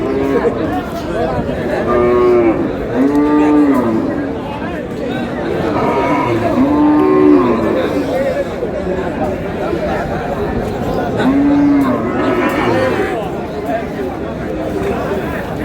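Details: Beef cows at Aftabganj cattle market on 22 April, with several drawn-out arching moos rising then falling, about four within fifteen seconds, over steady crowd chatter and men talking.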